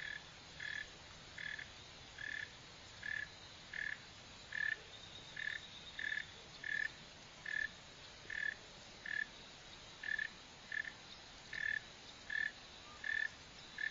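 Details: Long run of about seventeen rough, buzzy chirps from a Northern mole cricket, Neocurtilla hexadactyla, repeating regularly near once per second above a soft, even background hiss.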